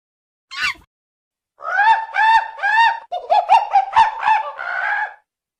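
A monkey gives a rapid series of nasal, arching calls, each rising then falling in pitch.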